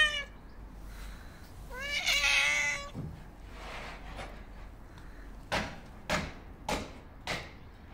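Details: Homeless white and ginger male stray cat, hungry and seeking attention, gives a short wavering meow near the start, then a brief rustle and several sharp knocks or thumps spaced about half a second apart.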